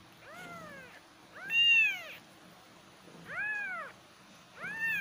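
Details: Kittens giving clear, loud arched meows, four calls spaced about a second apart, each rising then falling with rich harmonics, in a quiet setting.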